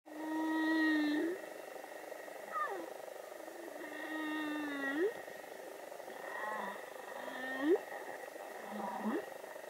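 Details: Young humpback whale singing in the water of Vava'u, Tonga: a long low moan, then a series of tonal units with upsweeping and downsweeping glides, separated by pauses of one to two seconds, over a faint steady background hum.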